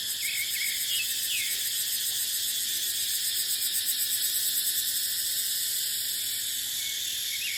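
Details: A continuous high-pitched cicada drone, finely pulsed, sounds in dry dipterocarp forest in the dry season. Occasional short bird chirps mark the start and end.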